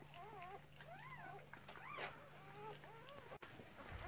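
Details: Arched, wavering whines from newborn Cardigan Welsh Corgi puppies during the delivery of a red merle female's first litter of six, 2018. The cries come in quick bursts over a constant low hum, with a brief knock.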